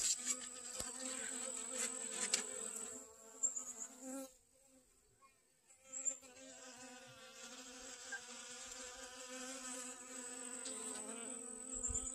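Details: Honey bees gather pollen from sunflowers in a garden on August 25th 2021. A steady, low, droning buzz with rich overtones fades out for about two seconds near the middle, then returns and holds to the end.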